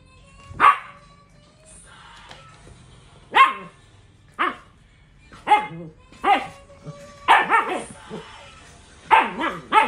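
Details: Siberian Husky barking in sharp, separate bursts, single barks spaced a second or two apart, then a quick cluster of three and a closing pair, over a quiet background.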